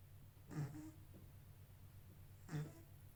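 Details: A kitten asleep and snoring, two soft throaty snores spaced two seconds apart, each a brief rasp fading into a breathy exhale, with a constant low background drone.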